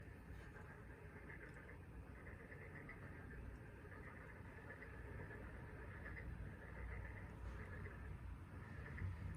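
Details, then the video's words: Frog chorus on the Taean Peninsula, South Korea: many frogs calling together in bursts of dense, overlapping croaks that swell and fade every second or so, with a steady low rumble underneath throughout. "개구리 울음소리(태안반도 개구리 합창)"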